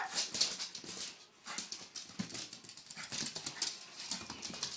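A dog gives short, sharp, high-pitched barks and yips in quick irregular bursts.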